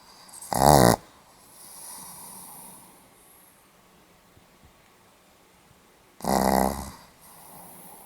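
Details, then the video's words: Pomeranian asleep and snoring, dated 8 November 2015: two short rasping snores about six seconds apart, each a brief buzzing burst, with a soft breathy exhale after the first and near silence in between. "ポメラニアン 犬のいびき"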